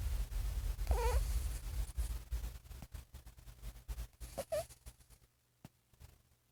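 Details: Sleeping, dreaming pet cat snoring: low rumbling breaths pulse steadily beneath, broken by two brief squeaky rising chirps, one early and one midway, before the sound fades almost to silence.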